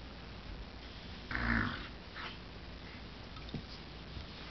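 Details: During puppy play, Ember, a black dog mixing border collie and golden retriever, with 9-week-old golden retriever Henry, gives one drawn-out rough growling snarl lasting under half a second, followed by quiet shuffling and a faint click.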